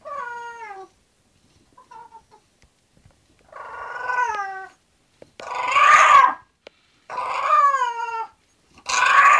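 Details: An English bulldog going to sleep gives drawn-out, wavering, harmonic moans that slide downward, several separate calls with short quiet gaps, growing louder and rougher toward the end, in a quiet room.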